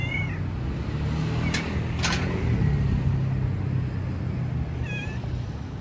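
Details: Stray cats on the streets of Istanbul, Turkey: a short rising-falling meow at the start and another brief meow near the end, both set against a steady low traffic rumble with a couple of sharp clicks.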